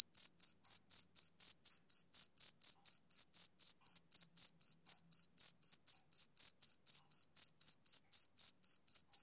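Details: A male cricket's summer-evening chirp: sharp, shrill pulses at about four per second, evenly spaced throughout, with nothing else audible behind them.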